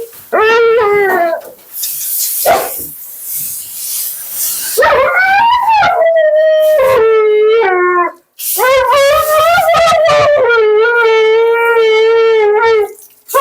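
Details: Vocal female Siberian Husky during a bath and blowout, giving loud sustained wailing screams and howls, long wavering tones with sharp breaks and short gaps, a groomer's voice saying good girl heard amid the noise.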